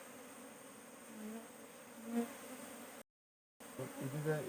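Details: Honey bees hum at an open hive while a beekeeper searches the frames for queen cells ten days after setting them. A steady, low droning buzz swells briefly near the middle, drops out for half a second, then returns.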